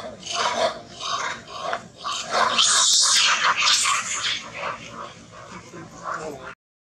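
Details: Monkeys in a violent fight to become king: harsh, noisy screeches rising to a loud burst midway, then ragged shrieks fading out, with people talking in the background.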